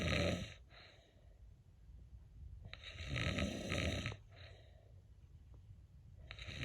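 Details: A sleeping cat snores indoors, with soft, uneven rasping breaths that swell at irregular intervals, the loudest lasting over a second.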